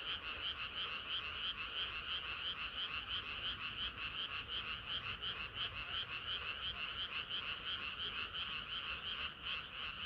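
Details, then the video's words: Summer-night frog chorus, dense and even: countless overlapping croaks pulse steadily at a quick, regular beat, with no pauses and nothing else clearly heard. "개구리들의 합창은 끝이 없어라"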